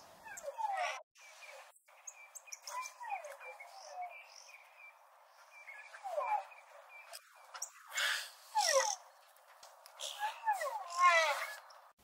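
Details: A white rhino calf in Southern Africa squeals: squeaky, harmonic squeals slide downward in uneven bursts every few seconds over a faint steady high hum.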